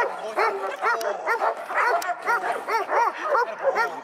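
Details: Quick, sharp, high-pitched dog barks, roughly two per second, overlapping each other in a steady excited stream.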